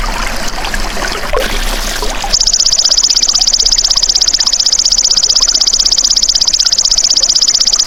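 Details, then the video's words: Trickling, splashing water gives way after two seconds to the golden grasshopper's call, a continuous shrill buzz made of fast, regular pulses. It holds a constant pitch and is used as a tutor sound for songbirds. "MASTERAN BELALANG EMAS TERBAIK 2026 | SUARA ASLI PANCING BURUNG CEPAT GACOR, FOKUS & RAJIN BUNYI"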